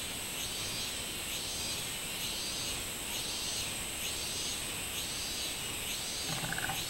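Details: Robust cicada singing on 24 July 2016: a series of arched, pulsing buzzes swelling and fading about once every second, over a steady high-pitched drone, with a few brief clicks near the end.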